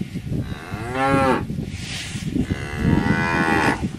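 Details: Cow bellowing a rising-and-falling moo, followed by a longer, flatter, hoarse moo, both over a grainy low background.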